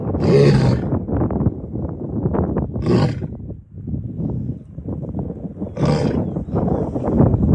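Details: Lion roaring, a deep, rough, drawn-out roar repeated in long low surges with grunting pulses, broken by short breathy gaps.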